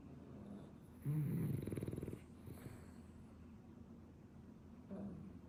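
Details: Two sleeping French Bulldogs, a ten-year-old and a puppy, snoring: a loud one-second burst of rapid rattling low pulses, then quiet breathing and a shorter, softer snore near the end.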